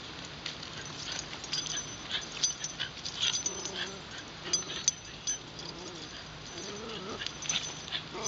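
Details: Wire Fox Terrier out in Shinjuku Central Park, captured on a LUMIX FT1: a few short, wavering whimpers come near the end, low and thin over constant park background hiss and light rustling.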